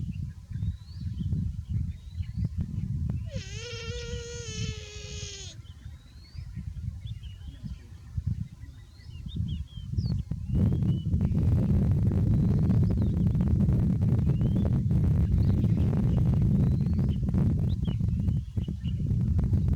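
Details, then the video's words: Overheated buffalo calf lets out a single drawn-out, nasal bawl of about two seconds midway, then loud rumbling wind-like noise fills the rest, with small bird chirps scattered throughout. "BUFFALO Baby Too Hot and Makes a Good Sound"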